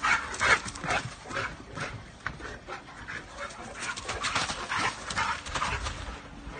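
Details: Two dogs at play, a Boerboel and an American bulldog/Staffy mix; quick panting huffs and gruff growly bursts repeat roughly twice a second, with a louder snort near the start.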